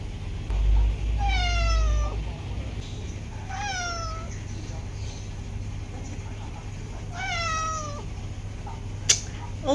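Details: A female house cat wants the door opened and keeps meowing: three long, falling meows in quick succession, with a dull thump at the start, a sharp click near the end and a low steady hum throughout.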